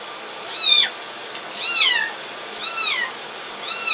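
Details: During a bath a kitten cries in four loud, high, arched meows spaced about a second apart, each sliding downward at the end, with a steady hiss behind.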